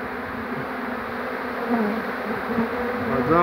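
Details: Swarm of bees on 2 June 2019 being coaxed toward their queen during capture, giving a dense, steady drone of countless wingbeats with a low hum underneath and a few brief brighter whines near the end.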